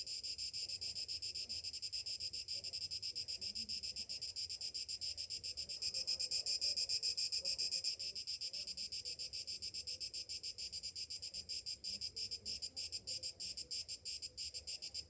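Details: Summer morning cicadas drone in a shrill, rapidly pulsing buzz that swells louder for a couple of seconds midway, then settles back to a steady throbbing hum.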